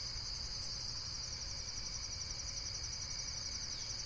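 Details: A short stretch of dense insect chorus: a shrill, quickly pulsing buzz held at one pitch, backed by a faint low rumble.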